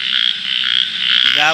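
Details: A frog calling with inflated cheeks at night, a brief pulsed nasal croak at the end over a continuous shrill frog chorus.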